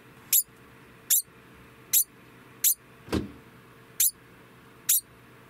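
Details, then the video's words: A male degu, estimated three years old, just after mating, gives sharp, high squeaked alarm chirps repeated slightly under once a second. These are warning calls made during the breeding state. "デグーの鳴き声１（発情時の警戒鳴き）"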